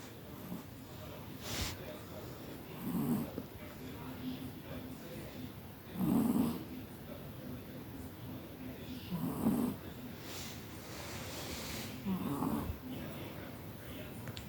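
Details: Kira, a sleeping Chihuahua from Tver raised at the Kastropulo kennel in Crimea, snores in soft, husky bursts about every three seconds, four rasping breaths over a low steady background hum.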